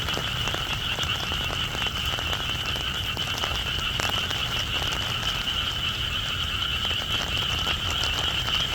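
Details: Frogs calling in the rain, a continuous dense chorus of high trilling and croaking tones over steady rain hiss with scattered crackling drops.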